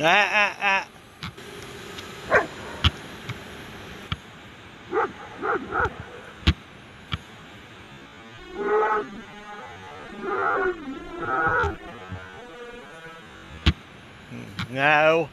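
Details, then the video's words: German Shepherd named Scooby on a winter beach at Myrtle Beach, South Carolina, chasing and trying to take down a flying DJI Spark drone; several harmonic barks and whiny yelps in bursts, with a person's voice and sharp clicks between. "German Shepherd Really Wants Take Down DRONE!"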